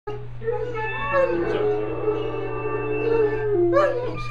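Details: A dog learning to howl gives one long, wavering, tonal howl of about four seconds, swelling midway and rising again near the end, over a steady low electrical hum.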